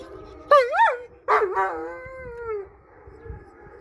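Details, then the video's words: Black East European Shepherds, several dogs, howl in response to police sirens: two wavering, bending notes, then a long, smooth howl that slowly falls and fades. "Black East European Shepherds Howling to police sirens !"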